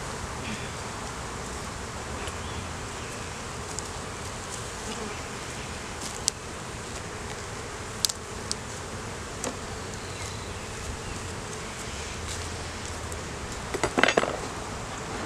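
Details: Honey bees at an opened hive during a beeyard inspection where a laying queen, honey, capped brood and larvae were found, recorded on a Canon Rebel T6 DSLR; a steady, dense buzzing drone throughout, with occasional sharp clicks and a brief clattering burst near the end.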